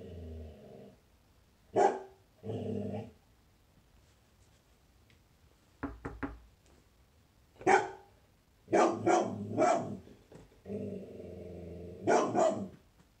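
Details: A Golden Retriever barking with a ball in its mouth gives muffled, throaty barks and drawn-out grumbling woofs in irregular bursts.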